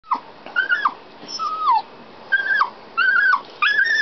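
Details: Dog crying while locked inside a canal boat as its owners worked the locks and steered; high whining cries, some rising then falling, repeated in bursts about every second with brief pauses.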